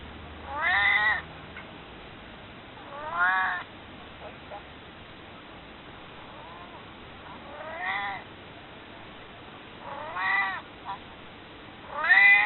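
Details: Maru, a cat nearly 22 years old, recorded before its death, meowing to ask to be held: five drawn-out harmonic meows spaced two to four seconds apart, each rising then falling, with quiet background between.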